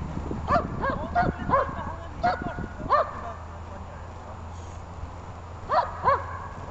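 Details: German Shepherd in protection training, recorded 21 November 2020 at the Donetsk botanical garden: a run of sharp, rapid barks, a short lull with faint human voices, then two more quick barks near the end.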